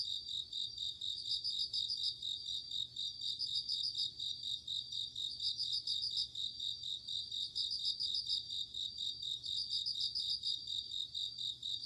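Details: Crickets calling at night in autumn: repeated clusters of quick, tinkling high pulses, about one burst every two seconds, set against a constant high insect whine from many insects.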